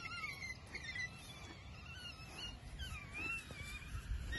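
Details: African wild dogs seen on safari in Sabi Sands, South Africa, give high, wavering, bird-like twitters that overlap from several animals.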